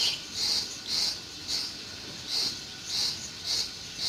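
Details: High, buzzy cricket chirps ring out in a summer meadow in June, short pulsed bursts coming roughly twice a second with slightly uneven spacing.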